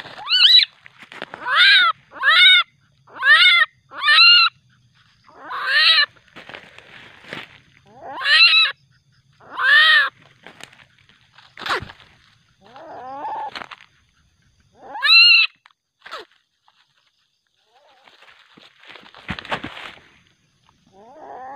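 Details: Juvenile common palm civet, aggressive at night, later released back into the wild: a burst of about eight harsh, squalling harmonic calls in quick succession, each falling in pitch, then sparser, shorter cries with quiet pauses between.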